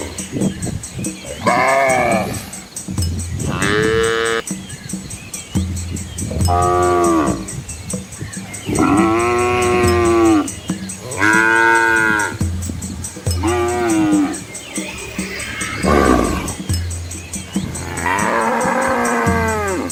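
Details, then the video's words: Village cows and their calves on a quiet countryside road bordered by rice fields in Asia, repeatedly mooing: roughly nine arched, harmonic bellows, mostly one second long, arriving every couple of seconds over a low drone and faint high hum. "Cow Sounds"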